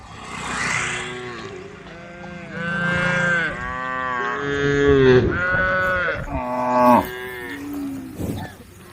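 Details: A group of tame cows on the road calling the herd, a string of overlapping moos of varied pitch, some short and some drawn out, roughly every two seconds, with rough background noise.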